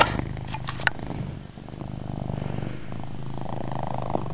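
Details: Deep rhythmic purring from a pet male cat named Chase indoors, the throaty rumble swelling and easing with each breath, a few faint clicks at the start.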